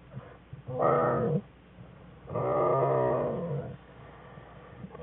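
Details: Black bear cubs in their den with their mother on January 5, 2013, giving two whines: a short nasal cry, then a longer, buzzy, wavering whine about a second and a half long.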